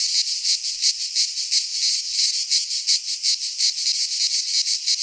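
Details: Midsummer cicada chorus from a pine forest in Greece, a shrill continuous buzz with clear rhythmic swells, roughly three beats each second, nothing else audible.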